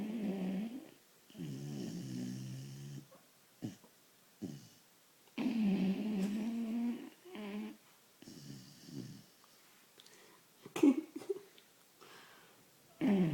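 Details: A very tired vizsla puppy snores while sleeping, in low, rumbling breaths with quiet pauses between them.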